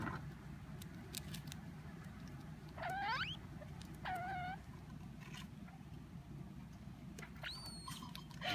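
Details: Pet degu squeaking in displeasure while eating as a hand's shadow approaches from above, as if fearing its food will be taken: a few sharp upward-sweeping kyu squeaks spaced seconds apart, over a low rustling background hiss.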